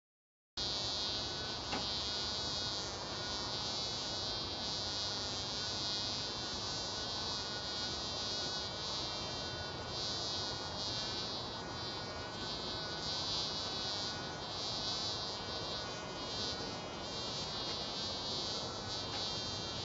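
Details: Mason bees buzzing at one another: a dense, steady buzz with layered humming overtones that runs unbroken for nearly twenty seconds after a brief silent start, swelling and easing slightly, with no other clear sounds.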